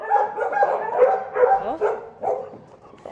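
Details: Bulldog Pippa during excited New Year's play, trying to get the camera; about six short yipping barks come in a loose series, mixed with a person's voice.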